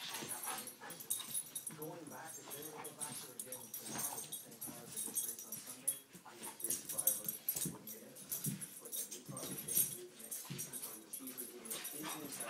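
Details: A Boston Terrier wrestling in play with a golden retriever makes gruff, snuffling grumbles broken by brief higher whines in uneven bursts, with human voices talking over much of it and a steady background hiss.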